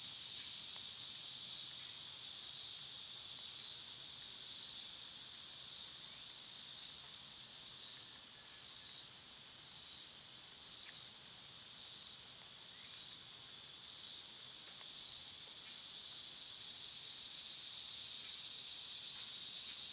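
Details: Cicadas singing in summer: a high buzzing drone pulsing quickly, about four beats a second, that swells noticeably louder toward the end.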